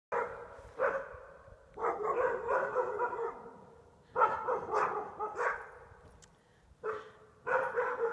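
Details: Little dogs barking at reflections in windows: bursts of sharp, harmonic barks, single yaps early, then a long rapid run, another volley midway and more barks at the end, roughly four per second at peaks.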